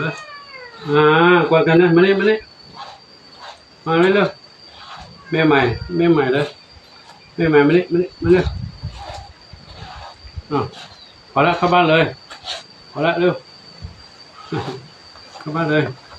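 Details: Domestic cats, a small one and a big one, playing with an elderly monk at Wat Pong Chai, Chae Hom, Lampang, Thailand; drawn-out, wavering meows come in several bursts, interleaved with a person talking close by.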